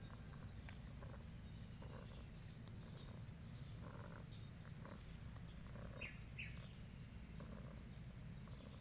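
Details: A spoiled, affectionate cat purring, a steady low rumble that runs unbroken, with soft rhythmic pulses and faint higher clicks and rustles now and then.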